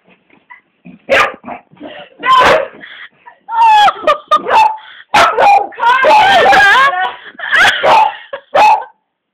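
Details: Pet beagle Bella going mad at Cassie, an old, grumpy 12-year-old black labrador that won't play, caught on a phone camera: sharp yapping barks and yips in irregular bursts, overlapped by laughter and people talking throughout.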